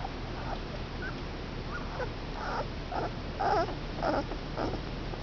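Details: Five male Komondor puppies, two weeks old, giving thin high squeaks and whimpers, about eight short rising-falling cries growing louder toward the end, over a steady background hiss.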